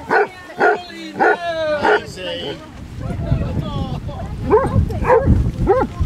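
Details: Among 23 Basset Hounds walking 5 miles on Ham Hill, Somerset, a run of four loud, harmonic bays comes at about half-second spacing, then quieter barks follow over a rumbling, noisy background.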